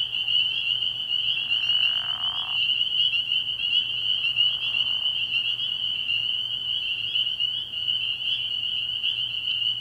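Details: Dense high peeping of many spring peepers at a frog pond on an early spring night, a ceaseless shrill chorus interrupted by two brief lower rasping bursts, over a faint low hum.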